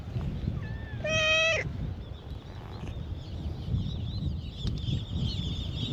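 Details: Stray cat at an outdoor cat gathering on a cat island, part of a welcoming chorus for a visitor; one short, bright meow near the start, then faint high chirping and steady low background rumble.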